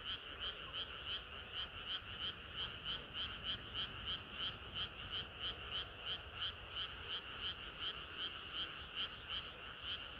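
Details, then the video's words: Hot summer night with frogs singing: a close frog gives loud rhythmic croaks about three times a second, evenly spaced throughout, set against a continuous background chorus of many more frogs. "개구리들의 합창은 끝이 없어라"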